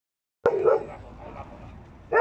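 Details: A Karelian Bear Dog gives sharp, mid-pitched barks, two separated by a short pause, during a predator-test demonstration at a wilderness fair in Oulu, 2019.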